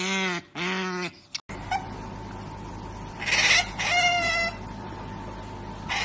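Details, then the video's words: Otters making strange noises: two loud whiny squeals with rich harmonics open, then a steady faint tone and later a burst of raspy, harsh squealing followed by a thinner wavering squeal. "Funny OTTER Strange Noises and Sound Effect"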